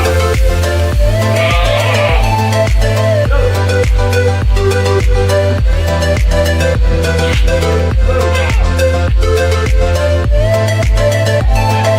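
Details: Loud electronic dance music with a steady pounding beat, deep bass and bright synth melodies, and no animal calls audible.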